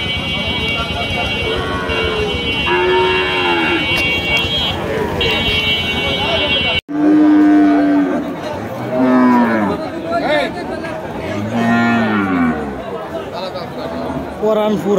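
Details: Big cow at Paranpur market, Gopalganj, lowing in drawn-out arched bellows, with a few calls overlapping; background music and market clamour, with a brief cut midway.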